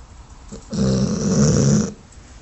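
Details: Dogue de Bordeaux female sleeping and running in her sleep, one loud rasping, low rumbling snore lasting just over a second, with quiet room sound around it.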